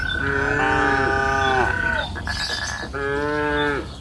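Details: Afternoon mooing from cattle on a lush pasture hill: a sustained bellow fading at the end, then a second, shorter moo, over a steady high whistled tone and rural ambience.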